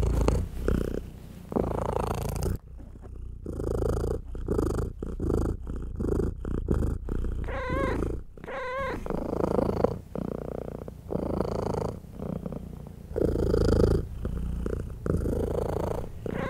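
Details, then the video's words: Mother cat purring loudly as her tiny kittens nurse and try to settle; continuous low rumbling purr in breath cycles, with a couple of thin, wavering high kitten meows midway. "ASMR Purring Mother Cat Nurses Tiny Baby Kittens"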